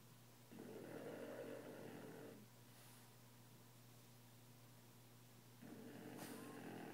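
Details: Sleeping Frenchie snoring: two drawn-out raspy snores separated by a quiet pause of about three seconds, over a constant low electrical-sounding hum.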